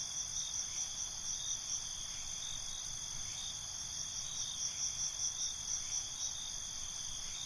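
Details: Nocturnal crickets, a dense high-pitched ringing chorus with short pulsed chirp bursts recurring throughout against a continuous insect hum.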